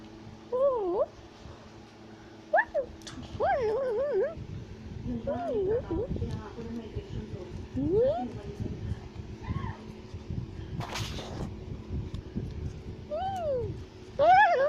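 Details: A tufted capuchin in South America is shouting and chattering as it climbs a tree. Scattered wavering whines are heard, with rustling and broadband scuffing noise in the middle and louder squeals returning at the end.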